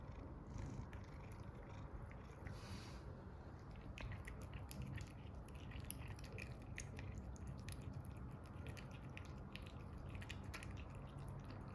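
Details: Phoebe, a pet cat in Setubal, Portugal, trying new snacks and wanting more: a continuous low rumbling purr throughout, with scattered clicks and small chewing sounds over it indoors.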